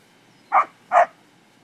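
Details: Two crisp, evenly spaced barks about half a second apart from an English springer spaniel at play among cattle, with little else audible.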